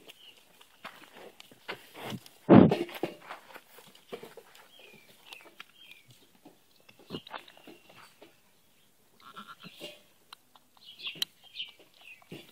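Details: Newborn Nigerian Dwarf and fainting goat cross buckling, the kid of a doe named Wee Doe, lets out one loud, brief bleat early on, followed by soft rustling and handling noises and faint high chirps.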